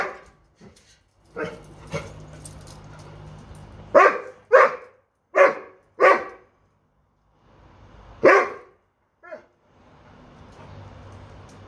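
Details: Doberman indoors, upset after dropping his bone under a dog bed cot and unable to reach it: a run of short, sharp barks, several in quick pairs around the middle, with a woman talking and encouraging him between them.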